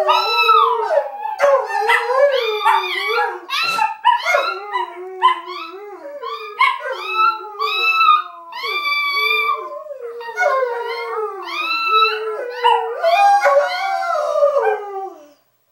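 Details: Two small Chihuahuas roo and sing along with big greyhounds indoors, several dogs howling together in overlapping wavering, sliding tones with rich harmonics, rising and falling in long continuous phrases with brief yips between.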